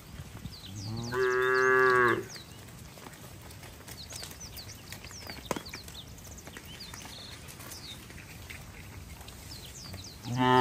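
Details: Cattle driven slowly to their farm pen on a slick, wet road in the rainy season. One full, rich moo lasting about a second, then a quiet stretch with bird chirps before another moo begins at the end.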